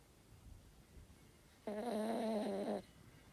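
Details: Toy Terrier asleep, giving a single wheezy, humming snore lasting just over a second after a quiet stretch, with no other sounds present.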